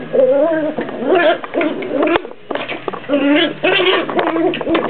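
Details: Two Jack Russell puppies play fighting; loud, tonal growling grumbles in two runs separated by a short quiet gap, with wavering pitch and scuffling noises underneath.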